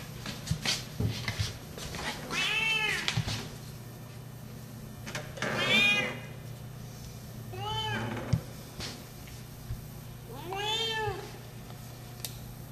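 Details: A 12-year-old female Siamese cat gives loud, drawn-out, arching yowls every few seconds while looking for a mate.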